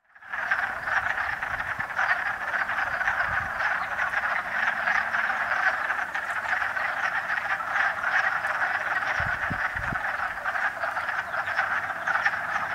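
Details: A dense wood frog (Rana sylvatica) mating chorus at Ravenswood Park, Gloucester, Massachusetts, on 13 March 2016: many males give rapid, duck-like clucking calls to attract mates.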